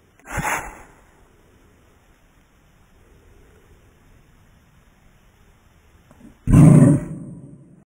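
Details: Pet dog in slow motion: a short hissing sneeze opens the recording, followed by several seconds of near silence, then one deep, heavy, slowed bark near the end.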